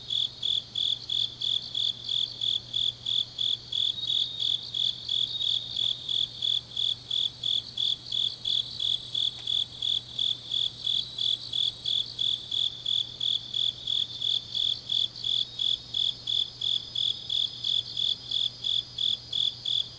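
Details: Night chorus of autumn grass insects in Changnyeong, South Gyeongsang, Korea: a bright, even chirp repeating close to three times a second for the whole stretch, layered over a softer, rapid high trill and a low hum.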